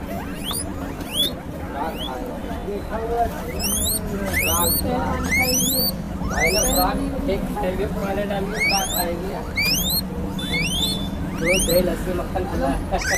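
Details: Guinea pigs give loud, rising squealing wheeks, repeated rapidly, said to be made when hungry and fearful.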